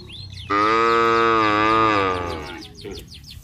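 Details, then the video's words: A single long, steady, harmonically rich moo lasting about two seconds, from village cattle calling their friends as they walk down to the paddy fields, then fading to background noise. "Bunyi sapi memanggil teman teman"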